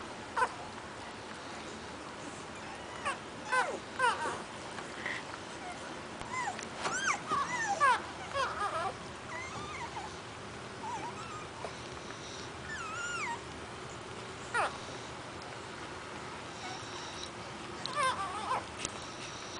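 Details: Pit Bull pups from Sapphirra's litter whimpering: thin, high squeals that bend up and down, bunched around the middle and returning in scattered bursts, over a steady background hiss.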